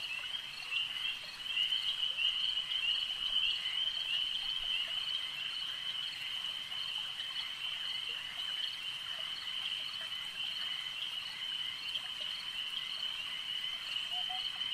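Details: Many frogs croak together at a lake, their high, trilled pulses merging into a steady wall of sound that never pauses, with a few softer, lower chirps now and then underneath.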